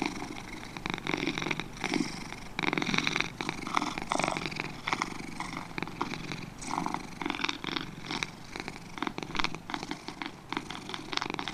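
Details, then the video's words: Two domestic cats give a continuous, raspy purr of quick rhythmic pulses, with gentle swells and dips following each inhale and exhale, and no other noises. "2 Cats Purring"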